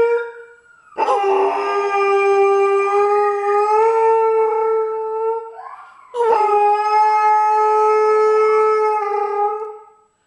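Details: Alaskan Malamute singing: two long, sustained howls, each opening with a brief rising note, then holding a steady mid-pitched tone rich in overtones for about three to four seconds before fading, with a short gap between them.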